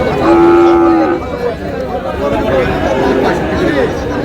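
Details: Sahiwal bull calves at a cattle market in Chandpur, Bangladesh: one drawn-out low moo near the start, then fainter lowing under steady crowd chatter and talk.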